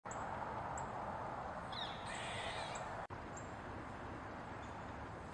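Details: Eastern gray squirrel moving about on a mushroom, giving a few faint clipped barks, then one louder rasping squeak about two seconds in, all over a steady broad hiss of background noise.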